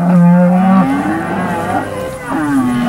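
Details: Cattle at an auction sale of steers; a loud deep moo held steady for nearly a second, then bending upward, with more moos from other animals overlapping later and a low background hum.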